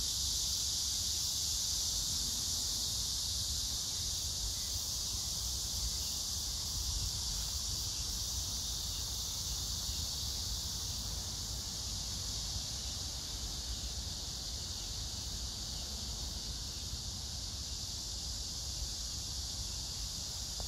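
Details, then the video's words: Long run of cicada chorus at Hwarang Park near the Gyeonggi Museum of Art, Gyeonggi Province, 9 August 2024, while crape myrtle blooms; an even, continuous shrill buzz persists, grass insects blend in, and a low rumble hums beneath. "매미 울음소리 풀벌레소리"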